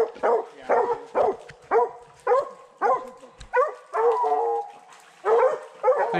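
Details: Barking from young Redbone Coonhounds hunting raccoons in 2020, the pair being male Hades and first-season female Copeland's Redhot Maple: steady, resonant barks near two a second, one longer held bawl midway, ending in a short higher yelp.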